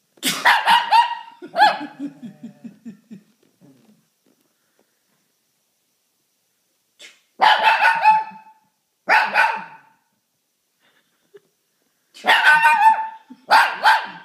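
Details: Shih Tzu named Darcy barking and howling in response to a sneeze; bursts of sharp harmonic barks trailing into a lower wavering howl, then silence before two more clusters of loud barks, with a person calling his name.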